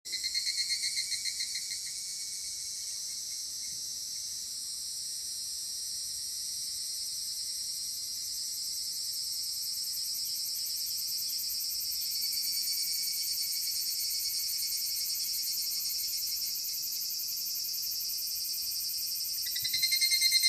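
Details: Evening cicadas calling near Doso Gorge, Ibara, Okayama Prefecture, Japan, on 5 August 2014: a dense high ringing chorus of rapid pulsed trills, holding steady throughout, then a louder nearby caller swelling at the end.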